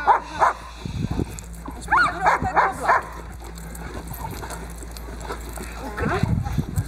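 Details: Boxer working dog named Diesel in protection training, table bite work: a burst of four quick, sharp barks near two seconds, single barks before and after, with human voices and handling noise between.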